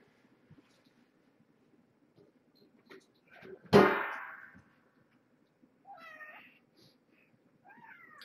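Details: Domestic cats at Purrfect Pals at evening dinnertime: mother Marge, a former pregnant stray, and her five kittens born November 22nd, 2014. A loud clatter, then two short, thin, wavering meows. Quiet room.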